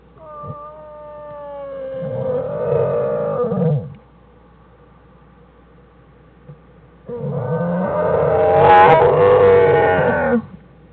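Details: Two drawn-out bawling cries from black bear cubs Fern and Herbie, denned with mother Jewel on January 1, 2013: steady harmonic tones turning into rough, buzzy squalls, with quiet pauses between.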